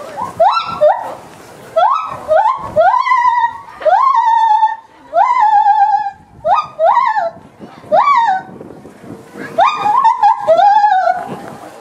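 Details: Male lar gibbon, ten years old, at a Hokkaido zoo in Japan, outdoors in good weather in January, calling loudly across the zoo: a series of rising, hooting whoops that climb and level off, given in bursts about once a second.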